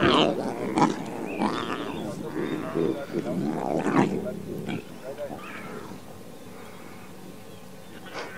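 A lion cub gives a string of rough, higher-pitched roaring growls that fade after a few seconds.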